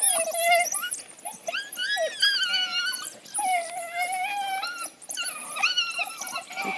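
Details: African wild dogs fighting over a kill in Laikipia County, Kenya, give a rush of high, whining squeals and twitters that overlap without pause.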